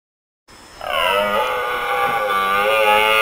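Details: Red deer stag roaring during the rut in Switzerland: after a brief silence, one loud, drawn-out, harmonic-rich roar that holds steady for well over two seconds.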